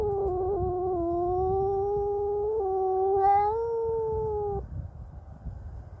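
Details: Domestic cat yowling at a neighbour's cat that entered its territory: a sustained, low, slightly wavering moan lasting over four seconds with a brief higher catch midway, then fading into quiet background noise.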